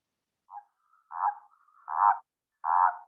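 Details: Spined toad song: short, soft, pulsed croaks around mid pitch. The first note is faint, then three louder notes follow at irregular gaps of under a second, with a thin drawn-out tone between them.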